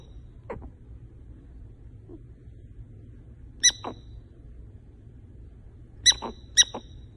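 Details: Sleeping female pet prairie dog, either snoring loudly or talking in her sleep: a few sharp, bright squeaks and chirps, some doubled, scattered over several seconds of near silence with a faint low hum.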